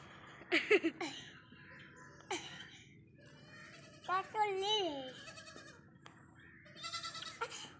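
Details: Baby goats playing, running and jumping, give quavering, wavering bleats in short bursts near the start and again midway, with rising and falling pitch, between quieter stretches and faint background voices.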